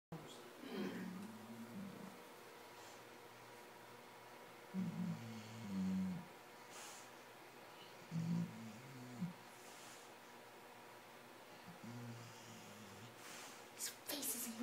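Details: A pet dog snoring indoors at night, said to sound like an old man; low rumbling snores recur about every three to four seconds, with faint room noise between them.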